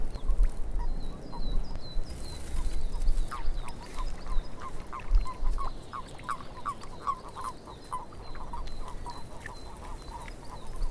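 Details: Frogs in a swamp, many short croaks around one pitch repeated in rapid uneven bursts, rising to a dense run toward the middle, with thin high bird chirps above and a low rumble of wind beneath.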